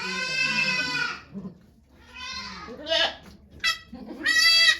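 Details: Goat named Okayu giving birth to two kids at Yoshigake Farm, Japan, on 3 May 2023. A long, strained, harmonic bleat of about one second is followed by shorter, sharper bleats and a final drawn-out cry, with faint voices nearby.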